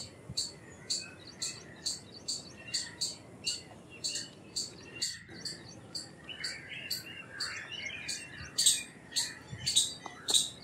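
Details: Indian palm squirrel giving sharp, high chirps about twice a second in a steady series, with softer warbling birdsong running beneath and a brief lull near the middle.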